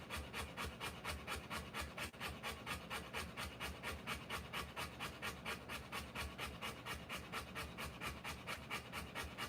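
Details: Rottweiler panting while giving birth to puppies: rapid, even, breathy rasps, a little over two per second, rhythmic and unbroken throughout, no other sounds.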